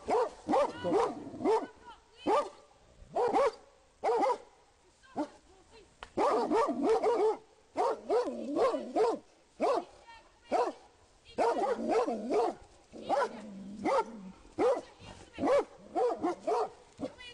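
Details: Rhodesian Ridgebacks in a public park barking to alert their owner to a man hiding among trees. Rapid bursts of loud, deep barks come in clusters with short gaps, sometimes overlapping, with a man's voice calling out between them.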